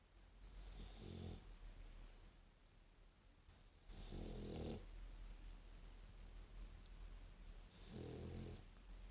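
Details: English Bulldog, a female born in December 2015, snoring indoors with her eyes open: three deep, rasping snores about four seconds apart, each a low rumbling inhale with a hissy top.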